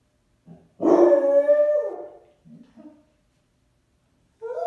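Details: Basset Hound, upset after its owner left for errands without it, gives one long mournful howl held about a second and a half, falling at the end, followed by soft short whines and the start of another cry.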